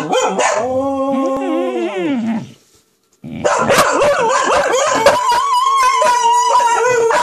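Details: Monthy, the youngest female dog of the household, howling like a wolf, a habit she repeats about once a month. A long harmonic howl falls in pitch and fades, then after a short pause a steadier, higher wavering howl continues over clicky background noise.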